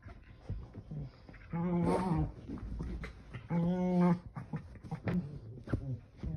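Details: A Keeshond rolling and tossing about on a couch indoors makes strange noises: two drawn-out, whining, harmonic moans of about half a second each, separated by snorts, shuffling and soft grunting.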